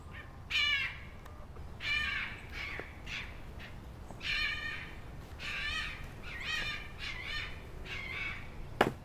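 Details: Red foxes, a mating pair with a second male calling in protest at not being chosen, giving loud harsh barking calls with stacked bands, repeated roughly every one to two seconds over steady low background noise.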